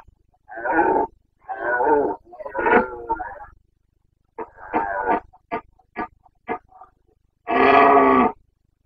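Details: Carpathian stag roaring during the autumn rut in Bucovina, September 2022: a series of grunting bellows, then several short clipped grunts, ending with one long powerful roar; still surroundings.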